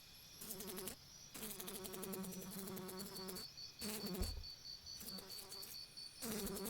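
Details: Fly buzzing in repeated bursts of about a second each, separated by short pauses, with a steady low drone and a higher whine running through the clip.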